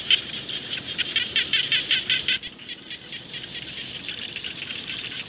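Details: Frogs calling in rice fields, a chorus of rapid, harsh, pulsed rattling notes, about three bursts a second, loud at first then softer and denser, with a faint steady tone in the background.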